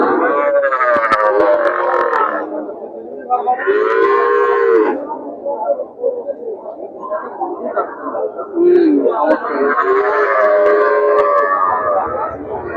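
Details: Young calves at the Chuknagar cattle market give drawn-out, bending moos, several overlapping, around 0–2, 3.5–5, 8.5–9 and 9.5–12.8 seconds, with steady crowd and market background throughout.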